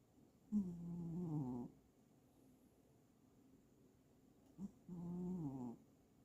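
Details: Snoring from a pet cat: two rough, humming snores, each lasting about a second, spaced roughly four seconds apart. Each one starts with a brief catch and holds a steady, low, gravelly drone, with near silence between breaths.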